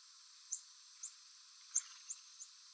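A chipmunk gives five sharp, high chips at an uneven pace over about two seconds, against a steady background hiss.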